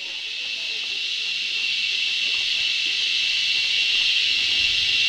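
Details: Very loud cicadas, likened to airplanes, fill the forest around Doi Suthep temple about 15 km from Chiang Mai, Thailand, on a holiday, with a steady, high-pitched hissing drone that swells gradually.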